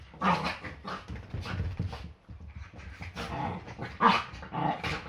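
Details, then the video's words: Yorkshire Terrier play fighting on an ordinary Sunday morning, part of the fights that start each day before breakfast. Rough, throaty growls and snarls come in uneven bursts, with a sharper, louder snarl near the four-second mark and brief quiet gaps between. "Yorkie ein ganz normaler Sonntag. Ein Tag beginnt immer mit mehreren Kämpfen"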